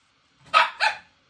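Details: A capricious Shih Tzu barks in distress indoors, wanting to be lifted up while its owner works, its companion dog being out in the garden; two short, sharp barks in quick succession, the second slightly softer.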